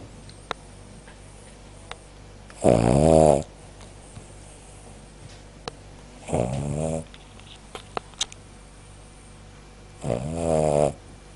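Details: Cavalier King Charles Spaniel sleeping indoors and snoring: three long, rough, buzzing breaths, each lasting under a second, repeated about every three and a half seconds, with near silence between them.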